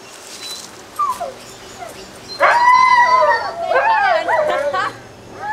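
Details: Twenty-six-day-old Alaskan Malamute puppies of Ciqala at Sakima Kiwidinok, recorded 20 September 2009: faint squeaks, then a sustained wavering whine-howl and a burst of quavering yelps, with a human voice possibly in the background.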